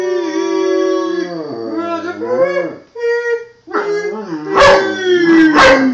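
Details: Miniature schnauzer howling in a duet with its owner: drawn-out wavering howls that dip and rise, a brief pause near the middle, then a stronger howl ending in a falling note, with the owner singing alongside.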